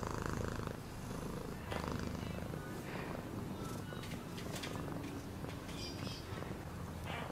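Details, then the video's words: Cat purring as a continuous deep, grainy rumble, partly masked by scattered clicks, rustles and faint higher-pitched noises above it. "Cat purring sound"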